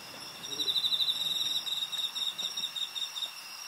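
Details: Crickets in Japan, recorded on 20 August 2011, sing a steady, high, ringing trill made of rapid pulses, with several insects overlapping.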